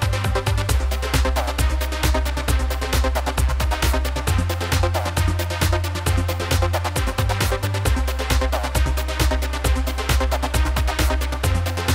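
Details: Electronic dance music with a fast, steady thumping beat and a deep pulsing bass line runs throughout; no animal voices can be picked out.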